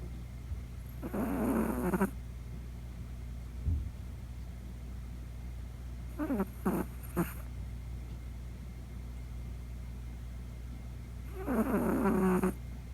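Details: Poco, a Chihuahua puppy, snoring for the first time while fast asleep in the middle of the night; three separate bursts of rasping, buzzy snores about a second long each, spaced several seconds apart over a quiet room hum.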